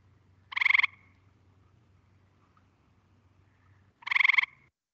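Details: Call of the Gray Treefrog, a colour-changing treefrog said to sound like a telephone: a pair of rapid, bright pulsed trills, each about a third of a second long, separated by three seconds of near silence.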